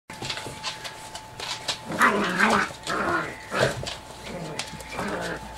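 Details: Chocolate Labrador Retriever puppies, seven weeks old, playing rough together as a group; overlapping harsh growls and yelping squeals come in uneven bursts, loudest in the middle, with a steady faint hum underneath.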